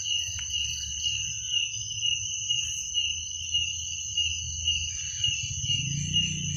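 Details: Crickets calling at night in an unbroken shrill trill with a higher overtone above it, while a low rumbling hum swells toward the end.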